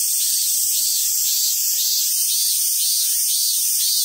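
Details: Summer cicadas at the Awaji Island Monkey Center in Sumoto, Hyogo, Japan: a steady, loud, hissing high drone with a faint pulsing throb about twice per second beneath it.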